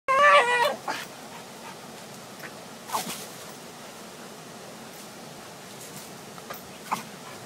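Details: A female Bull Terrier swinging on a rope, which she loves, gives a brief, wavering, high whine, followed by soft thumps and a person's praise.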